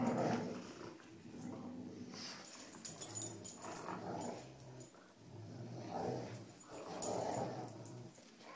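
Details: Dogs named Cujo, Kali and Lilly playing tug with a rope indoors; low rumbling growls rise and fall in repeated bursts, with scuffling and rope-pulling noises throughout.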